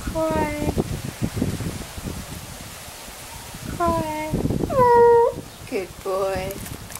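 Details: Buster, a Staffordshire Bull Terrier, cries on cue like an actor: several drawn-out, tonal whimpers, some level and some wavering downward, come in short bursts with pauses between them, over soft indoor rustling and movement.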